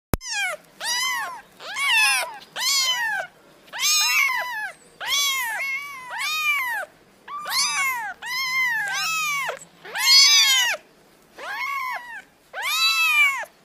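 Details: Kittens meowing in a fast series of high, arched mews, about a dozen short calls with brief gaps between them and a quiet background.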